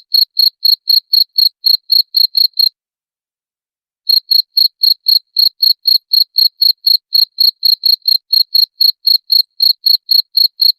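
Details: Cricket chirp for driving away rats, rapid high ticking pulses at roughly four per second, stopping for about a second and a half midway, then resuming at the same pace; no background noise.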